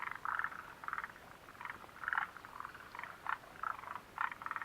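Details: Mountain hut setting at Mitsuishi, 29 June 2013: frogs give short, buzzy croaks in brief bursts about twice a second, a few callers alternating and overlapping, with little background noise between notes.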